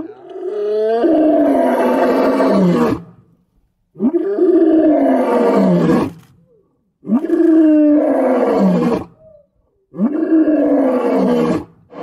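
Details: A white lion gives loud, throaty roars that fall in pitch, repeated about every three seconds.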